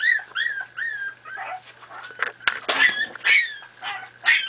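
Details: Four-and-a-half-week-old Miniature Pinscher puppies at play whine and yip; early notes are drawn-out, wavering whimpers, then louder, sharper squeaky yips follow, with a faint low hum in the background.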